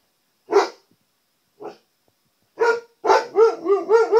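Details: Pet Siberian Husky barking at his own reflection in a TV: a few sharp, separate barks over the first three seconds, then a quick run of wavy, rising-and-falling howl-like yips about three per second.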